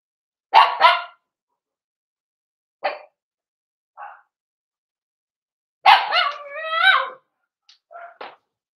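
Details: Four-week-old Cavalier King Charles spaniel puppies in an indoor puppy pen: a pair of sharp yips, scattered short squeaks, then a drawn-out wavering whine lasting about a second, followed by faint little whimpers.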